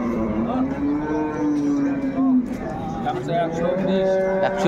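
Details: Dairy cattle at a Bangladeshi livestock market, Ambari haat near Dhaka, 21 May 2024. One sustained, gently falling moo lasts over two seconds, then fainter lowing follows amid people talking.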